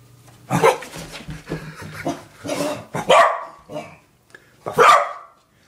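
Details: Nana, a playful pet corgi, lets out several loud barks indoors, irregularly spaced, while a person talks in between.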